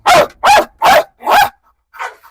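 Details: A female dog, challenged to bite, lets out four rapid hoarse barks in a quick row, then falls quiet apart from a faint softer sound.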